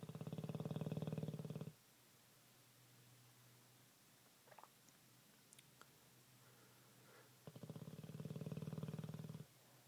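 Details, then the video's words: Sleeping Olde English Bulldogge, a pet dog, snoring with two loud rasping breaths about six seconds apart. Each is a low, rapidly fluttering rattle near two seconds long, with quiet breathing and small clicks in between. "Olde English Bulldog Snores like a Man"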